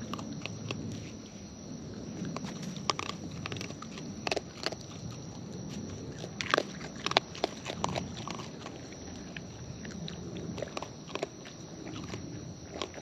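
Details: Close-up of wild raccoons eating: dense wet chewing and biting, with many sharp crackling clicks clustered around six to eight seconds, over a faint steady hum.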